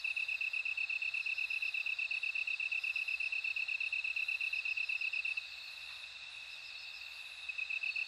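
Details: Bell cricket giving a quick, steady series of high metallic chirps that stops for about two seconds and then resumes, with a faint ringing tone and gentle insect hiss continuing beneath.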